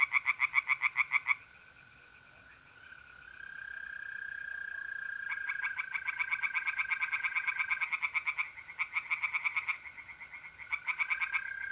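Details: Pond chorus of tree frogs at night in North-East Italy, mid-April: bursts of fast pulsed croaks separated by gaps, with the smooth sustained trill of mole crickets filling the pauses.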